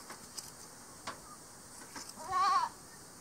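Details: A single short, tremulous bleat from an Angora goat while the goats are sheared at Dillner Hillside Farm. It comes after a stretch of quiet clicks and a steady background hiss.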